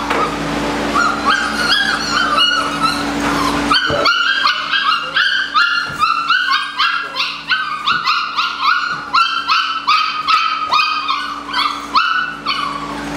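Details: Litter of Malinois puppies, eight weeks old, giving a long run of shrill, clipped yelps and whimpers, one after another roughly every half second, over a constant electrical hum.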